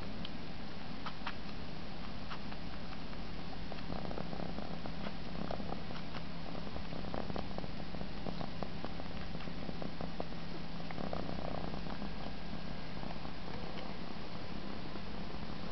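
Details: An Egyptian Mau cat purrs steadily while sucking its own paw and enjoying itself, a low continuous rumble with a gentle pulsing rhythm.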